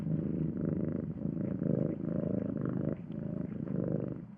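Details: Soft, deep purring from a domestic cat, rhythmic rumbling rising and falling about once per second, with one short break where the cat draws breath before continuing.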